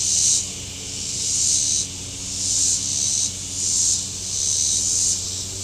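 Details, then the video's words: Shore cicadas at Table Rock Lake in southern Missouri on a very warm day give a sizzling high buzz in long surges about every second and a half, while boat motors hum low underneath. "Boating Lake Sounds and Cicadas"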